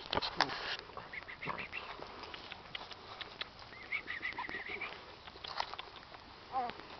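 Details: Young Shetland Sheepdog puppies at 26 days, at a kennel in Calabria, Italy, born August 2008; thin, high, wavering whines in short bursts midway, then one bent whimper near the end, over clattering handling sounds and faint speech.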